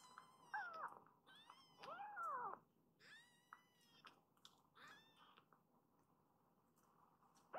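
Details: Foster kittens, rescued babies, crowding toward the mother cat after waking; three or four loud, arching meows in the first three seconds, then fainter mews and quiet room noise.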